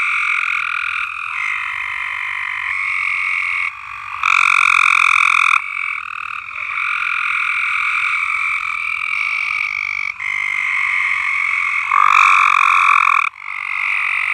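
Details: Singing frogs on a farm form a steady, buzzing trill chorus, with loud nearby callers swelling in bursts of a second or two against the continuous background.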